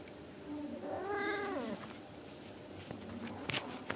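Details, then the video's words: Angora house cat mother scolding her kittens indoors so they settle down and sleep: one drawn-out, harmonic, whining meow that rises then falls over about a second, followed by quiet rustles and faint clicks. "Suara Kucing Indukan Ngomel Sama Anak Agar Cepat Tidur & Tidak Bandel"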